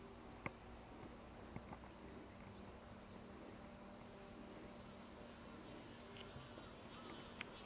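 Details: Cicadas near Sakurazawa, Yorii, Ōsato District, Saitama, Japan, filmed from about 170 m elevation on 15 September 2025, Respect for the Aged Day. Faint, high, buzzy pulse trains of four to five ticks, repeating roughly every second over a steady hiss.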